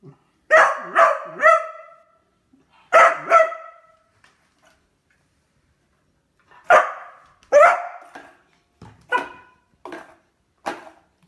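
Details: A Beagle that has found a new toy, wondering whether it may chew it, gives loud harmonic barks: a quick run of three, a pause, a pair, then after a long silence a looser series of five fading barks.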